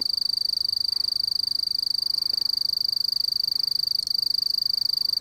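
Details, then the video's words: Eurepa marginipennis, the mottled bush cricket, giving an unbroken, steady high-pitched pulsed trill at one fixed pitch, fast and very regular throughout, with faint low background rumble. "Mottled Bush Cricket (Eurepa marginipennis) Calling"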